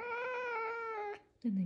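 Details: A female pet caracal gnawing her favourite toy utters a long, steady, nasal wail for just over a second, slightly falling at the end, followed by a woman's voice speaking in Russian.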